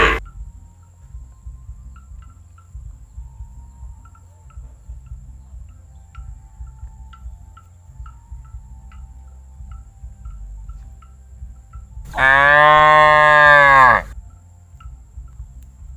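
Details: Tame calf, unafraid of people, gives a single loud, drawn-out moo of about two seconds with rich arching harmonics. It follows a long quiet stretch with only faint insect chirping in the background.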